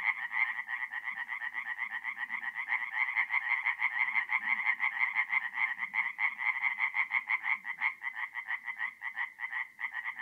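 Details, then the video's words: Tree frogs singing at night in a forest pond in mid-April, north-east Italy: dense chorus of rapid, nasal pulsed croaks, many callers overlapping in a steady throbbing band, with faint low rustling beneath. "relaxing forest pond by night with singing tree frogs"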